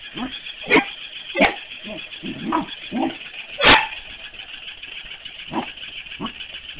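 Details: Corgi barking while playing with a mechanical ball: sharp, harsh barks at irregular intervals, with softer grumbling growls and yips between them and one especially loud bark near the middle.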